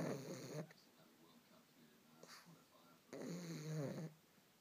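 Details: Pug in deep sleep and dreaming while seeming awake, snoring: a short rasping, droning snore at the start, then a second longer one of about a second after a quiet pause of roughly two and a half seconds.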